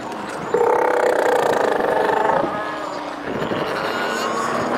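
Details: Northern fur seal (Callorhinus ursinus) on Dolgaya Rock in the Lovushki group, Northern Kurils; a sustained raspy, tonal bawl of nearly two seconds rises above the constant roar of surf and the colony.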